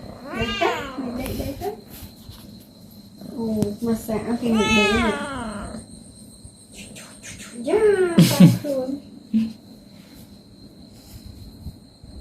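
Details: Domestic cats at home being massaged and played with, giving several harmonic meows with rising and falling pitch, spaced a few seconds apart, mixed with a woman talking softly in a small room.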